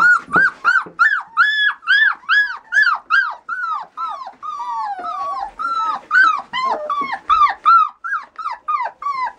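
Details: Border Collie whining steadily in high, sharply arched yelps, about two to three each second, a continuous plaintive series with no other sounds.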